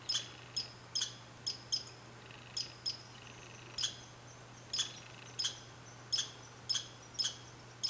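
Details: A red squirrel (Sciurus vulgaris) in Saint-Calixte, Lanaudière, Quebec, on 15 July 2020 gives short, sharp, high chirps in irregular bursts.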